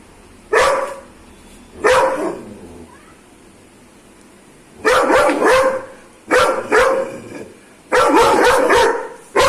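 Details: Aggressive Doberman giving loud, rough barks in separate bursts, a pair early on, then a pause and clusters of two or three barks in quick succession.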